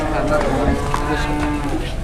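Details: Jumbo-sized, fat cattle arriving at an Indonesian livestock holding; a long, low, droning moo with rich stacked harmonics holds steady across the whole stretch, faint murmur of people in the background.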